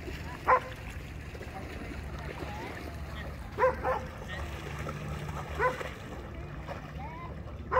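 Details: At Baldwin Park dog park in Orlando, Florida, an American Akita plays in the water; four isolated single barks spaced a few seconds apart, with faint voices and a constant low hum behind.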